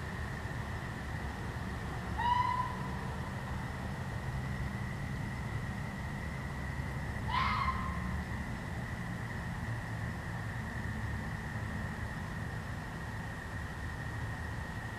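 A red fox gives two short, hoarse, yelping calls about five seconds apart at night.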